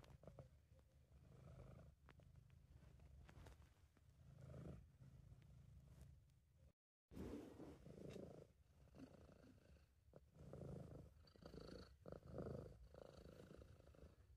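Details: British Shorthair cat named Sabu purring while relaxed and content, recorded at home; steady low rumbling purr with pulsing breaths, a brief silent gap midway, faint clicks and handling noises.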